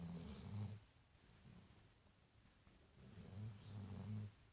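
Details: Tired brown dog Marley dozing at The Funny Farm: two low, rattling snores, one at the start and one near the end, with a quiet pause between.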